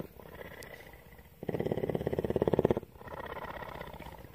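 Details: Female cougar, or mountain lion, kept at a rescue centre in Bridgeport, Texas, purring: a soft murmuring phase, then a louder, fast-pulsed rumble of about a second and a half, fading back to quieter purring.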